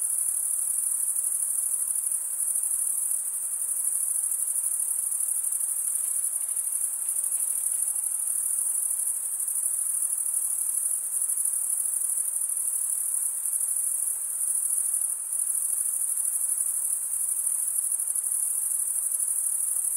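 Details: Stridulating crickets, usually males, chirp by running one wing's edge across a comb-like toothed vein on the other wing. An unbroken high-pitched ringing drone carries through the whole stretch, softly pulsing, over a faint background hiss.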